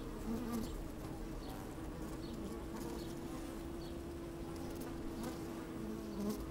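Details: A sunny day at an opened hive, microphone down among moving honey bees: constant low droning hum, a sustained steady tone, and short buzzy wavers at the start and near the end, with faint light taps.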